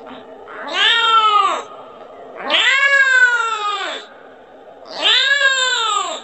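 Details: A kitten gives loud, drawn-out meows, each rising then falling, calling for its mother and asking for milk.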